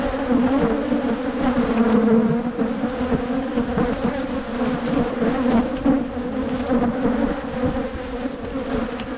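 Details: Michigan honey bee colony buzzing as its hives are split to reduce swarming; a thick, even hum on a low steady note with a higher overtone, swelling and easing slightly without pause.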